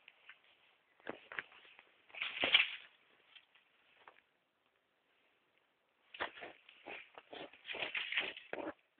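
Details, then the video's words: Hedgehogs making disturbing noises, recorded on a mobile phone: bursts of rough, hissy huffing and clicking sounds in clustered runs, a loud snort-like burst near the start, a quiet pause of about two seconds, then renewed rapid chuffing. "Hedgehogs making disturbing noises"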